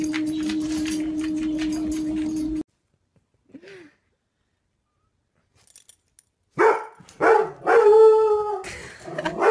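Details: Domestic dog named Buddy, pet in a home. A steady electrical hum runs first, then a short silence. Four or five loud, short barking yelps with whiny harmonic tones follow in quick succession over the last three seconds.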